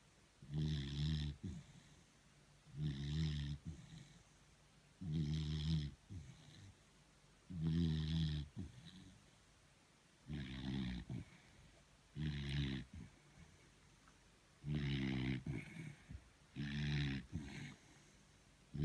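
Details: Exhausted beagle Thor asleep, snoring in a regular run of about nine deep, vibrating snorts, each under a second long and spaced nearly two seconds apart, with soft breathing noises trailing some of them.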